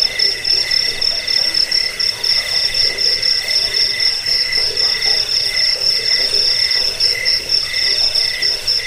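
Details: Crickets shrilling together in a continuous high, pulsed trill, beats coming several times a second, with a softer lower chirping layer and no other sounds.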